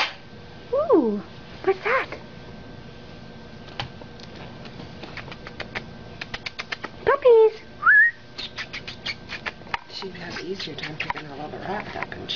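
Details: Pug puppies about five weeks old, at play in a bedroom, give thin sliding squeaks, one falling whine early and a couple of rising ones later, among clicks, light tapping and quiet talk.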